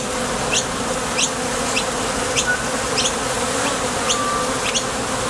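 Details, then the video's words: Top Bar Hive entrance with bees flying out to forage for nectar and landing back. A continuous low droning buzz, with individual bees zipping by as brief rising swishes roughly every half second. "Bees Sound Effects | WHITE NOISE | RUIDO BLANCO RELAJANTE Sonido de las Abejas"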